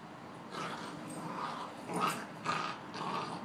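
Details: Two Boxers playing, heard as a string of soft, rough growls and huffs repeated about twice a second, each short and breathy, over a steady low background hiss.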